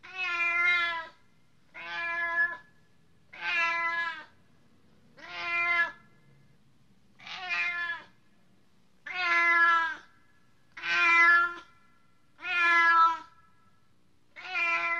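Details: Repeated cat meows, nine in all, each about a second long and evenly spaced, clear and tonal with rich overtones and a faint wavering pitch, no other sounds.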